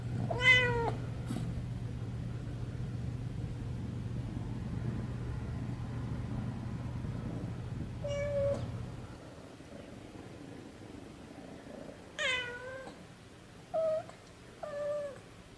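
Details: Munchkin kitten Milo meows repeatedly indoors: an opening meow over a low hum, then after a long gap a short one, and near the end a cluster of three quick, rising-falling meows.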